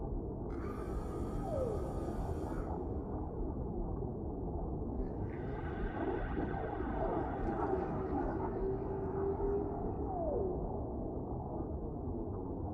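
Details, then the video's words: Deep-sea whale calls drifting slowly through calm currents: drawn-out harmonic moans with short falling glides, layered over a steady, dense low underwater rumble. "Suara Relaksasi Paus di Laut Dalam , Relaxing Sounds of Whales in the Deep Sea"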